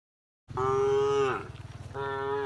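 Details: A tame cow resting on a forest-edge path toward the pen gives a deep moo that falls at its end, followed by a rough pulsing breath and a second moo.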